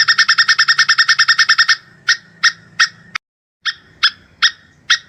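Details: Plantain squirrel (tupai kelapa) mating call, described as gacor with long breath: a fast run of sharp, ringing chips about eight per second, then slower single chips spaced roughly every half second after a brief pause.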